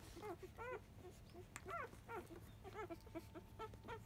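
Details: Five-day-old field-type Labrador Retriever puppies, born to a 2017 JFA Grand Champion, at the 10 a.m. nursing; repeated short high arching squeaks and whimpers, several in quick succession, over a low steady hum.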